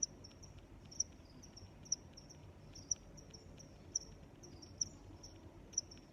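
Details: Cricket chirps, sharp and high, about one per second at a slightly uneven pace, with quieter chirps of other crickets between and a soft background hiss.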